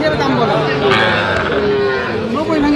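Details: Sahiwal bull calves at a cattle market serving a Dhaka farmer, Bangladesh, 29 November: faint drawn-out lowing moos rising and falling, partly masked by dense crowd chatter and market noise.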